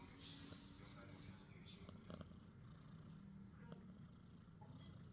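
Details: Sleeping cat snoring, its owner amused by it; a steady low rumbling breath fills the recording, with soft indistinct voices and faint rustling.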